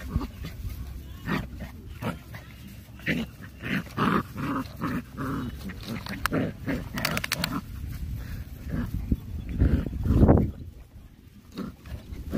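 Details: Puppies fighting, giving rough growls and short yelps in irregular bursts, with scuffling noises and some human voices in the background.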